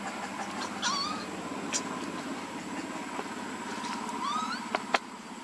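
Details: Baby monkey named Lucie, hungry and begging for milk: two short, thin, rising squealing cries about three seconds apart, with a steady mechanical hum and a few sharp clicks in the background.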